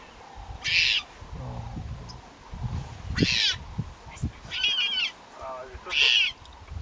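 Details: Leopard cub in the Serengeti crying: four short, high-pitched wavering calls, each under half a second, spaced roughly every one and a half to two seconds, with faint low rumbles and a softer chirp between them.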